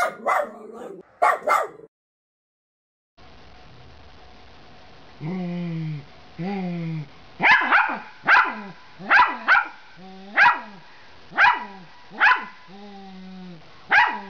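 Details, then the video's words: Miniature Pinscher encouraged to bark like a big dog: a couple of early yaps, a silence, two drawn-out whining tones, then a steady string of sharp, high-pitched barks about once a second. "Miniature Pinscher Barking & Growling"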